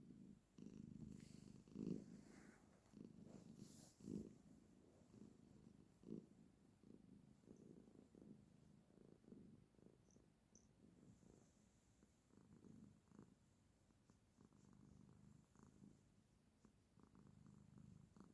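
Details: She-cat settled beside her owner, purring softly and continuously: a faint, low, vibrating rumble that swells and fades with her breathing over many cycles, with occasional light clicks and rustles.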